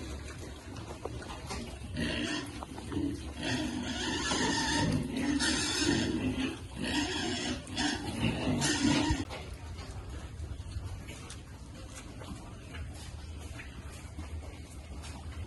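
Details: Farm piglets at feeding time break into loud, harsh squealing bursts, packed closely for several seconds before fading to a low background hum.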